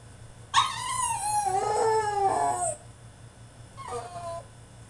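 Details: A caged male French Bulldog mid-tantrum gives a sustained, howling whine of about two seconds. It wavers and falls slightly in pitch, followed by a shorter, softer whimper.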